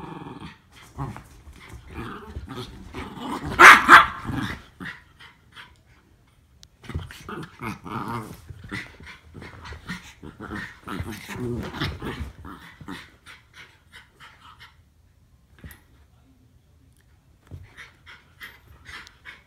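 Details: Norfolk Terriers Ernie and Hank at their regular wrestling play; a loud bark-like outburst early, then scattered growls and snarls in short bursts, fading into faint, intermittent sounds with quiet gaps.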